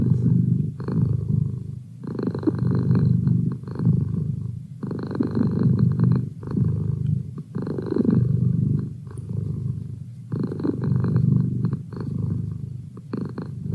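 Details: Sustained deep purr of a domestic cat, a rough low rumble pulsing in regular breath cycles of about two seconds, each loud stretch followed by a short dip, continuing throughout.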